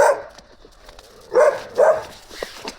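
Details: Stray Gampr, described as a big young dog, found in Abovyan, Armenia; after a quiet stretch come two loud barks close together, then a fainter third, with soft rustling around them.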